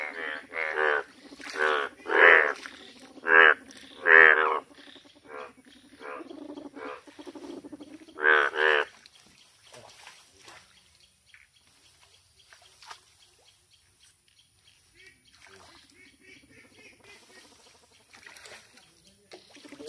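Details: Yellow frog giving loud, harsh croaks in irregular bursts during the first nine seconds, with softer grunting notes between, followed by a long near-silent stretch with faint rustles and distant calls.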